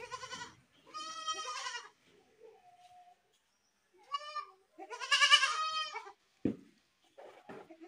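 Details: Goat screaming: several loud, trembling, strongly harmonic bleats, two long ones near one and five seconds and shorter ones between, with a sharp knock near six and a half seconds.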